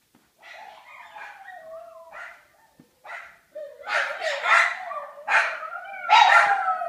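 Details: Several pet dogs howling indoors when their owner goes upstairs without them; wavering, rising and falling howls that start soft and grow louder and denser, overlapping voices with a few yips mixed in.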